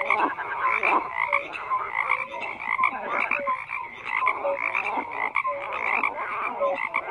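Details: Dense frog chorus, overlapping croaks and quick tonal chirps repeating without pause, many individuals calling at once.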